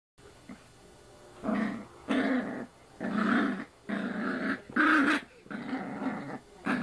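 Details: Female puppy growling while playfully mouthing a person's arm indoors; five or six rough, buzzy growls about a second each, separated by short pauses.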